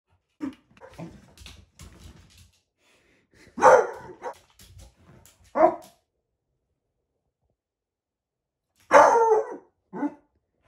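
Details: A Beagle puppy barking at a shadow gives a few loud, harsh barks at uneven intervals, with quieter sounds in between.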